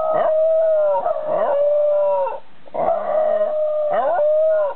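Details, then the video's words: White Shiba Inu and Jack Russell Terrier howling in the evening, 6 pm, 20 July 2018, Japan: long steady howls held for about a second each, broken by short rising yelps, in three bursts with brief pauses. "犬の遠吠え 白柴とジャックラッセルテリア Shiba Inu White & Jack Russell Terrier"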